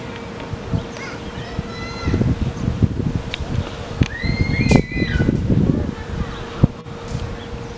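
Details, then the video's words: A group of meerkats in Lion Park, Chartwell, Africa: a few faint chirps early, then a louder pair of bending, harmonic squeaks near the middle, with rustling, thumps and a constant electrical-sounding hum. "Meerkats in Lion Park, Chartwell, Africa"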